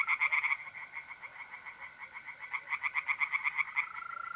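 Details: Tree frogs calling from a pond at night in mid-April, north-eastern Italy, producing rapid, repeated rattling croaks that swell louder toward the end, with a steady mole cricket trill underneath.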